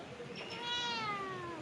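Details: A house cat that went to the neighbour's house looking for its absent owner gives a single drawn-out meow, rising then slowly falling, while a woman keeps calling it home with soft repeated words.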